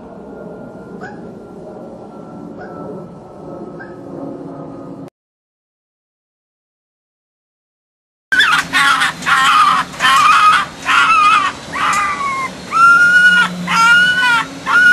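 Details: Red fox cubs, orphans held in a pen and later released into the wild, utter repeated sharp yipping calls about once a second after a faint, thin whine and a silent gap.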